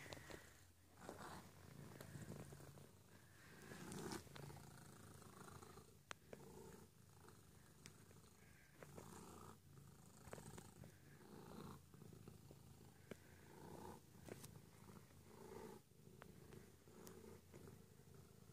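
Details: Pet domestic cat purring indoors, a steady low rumbling drone with rhythmic pulsing that swells and fades over eighteen seconds, broken by occasional sharp clicks and rustling close to the recorder.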